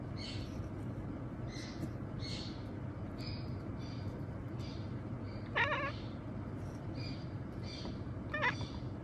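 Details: Male pet cat at night, softly murmuring a run of short 'nya' meows, spaced under a second apart with a few brief pauses, two slightly sharper notes near the end, over a low steady background hum.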